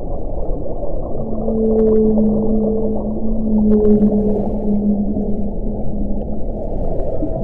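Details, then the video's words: Whale vocalizing underwater: drawn-out, low, even tones, one lasting several seconds with a softer higher note above it, followed by shorter repeated moans, set against steady low ocean rumble. "Whale sounds"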